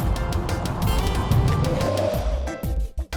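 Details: Music plays over a low, rumbling, vehicle-like background. No animal sound can be picked out.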